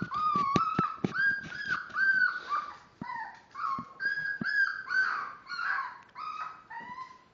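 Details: Five-week-old Miniature Dachshund puppies, born March 30th, give a steady stream of high whines and yelps, short sliding cries broken by sharp clicks and bumps, several pups calling over one another indoors.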